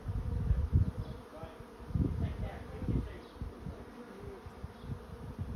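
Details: A dense honey bee swarm drones steadily as it moves into a swarm trap, the hum pulsing louder every second or so over low rumbling thuds.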